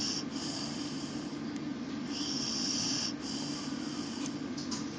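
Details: An English Bull Terrier napping in a laundry basket snores loudly and steadily in a low, rattling rhythm with breathy hisses on each breath.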